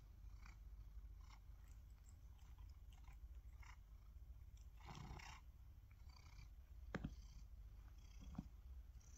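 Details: Male tabby cat reacting to his own fallen whiskers collected in a glass jar: a steady low rumbling purr runs throughout, broken by brief rustling and handling noises and a couple of sharper clicks near the end.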